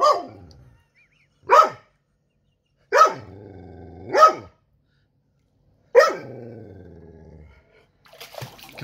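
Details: Domestic dog freaking out after his toy drowned: five loud, sharp barks at irregular intervals of one to three seconds, some trailing into a low growly rumble, with a brief noisy burst at the end.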